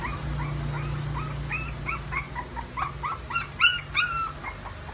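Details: Puppies playing; a quick series of high, short yips and squeaky whimpers, several per second, growing louder toward the end over a steady low hum.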